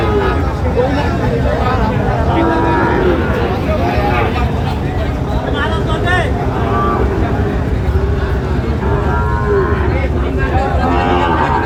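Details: Young Sahiwal bulls being sold at a market in Sylhet, Bangladesh, 26 September 2025, with scattered moos rising from a dense background of human voices, haggling and traffic rumble.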